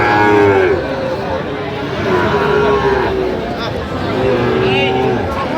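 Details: Sahiwal bulls at a cattle market on 4 October 2025, giving drawn-out, level moos that recur every couple of seconds through steady crowd chatter and voices.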